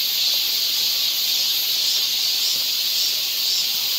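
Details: Cicadas in a summer forest in Seoul, Korea: a shrill, seamless buzzing wall of sound with a slow, gentle wavering in intensity and nothing else clearly heard.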